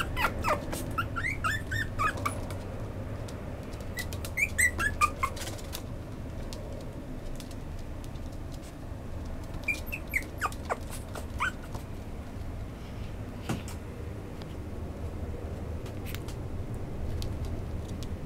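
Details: Female fawn-and-white Chihuahua giving high, thin whining squeaks in short clusters, some wavering up and down, spread across the recording over a steady low electrical hum with scattered clicks and handling noises.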